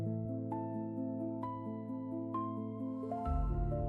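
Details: Soft, tender new-age music with sustained piano-like notes plays throughout, with no animal sound heard.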